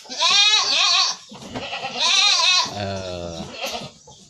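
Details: Domestic goat sick with flu and cough, about to be treated with a homemade herbal remedy: two loud, wavering, nasal bleats of about a second each, then a lower, shorter bleating sound and faint background voices.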